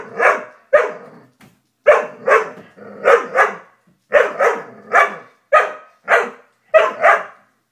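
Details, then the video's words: Dobermann barking steadily, often in pairs, sharp and mid-pitched, about every half second, with a low rumbling growl between some barks. "Top 10 Funny Doberman Videos 2019"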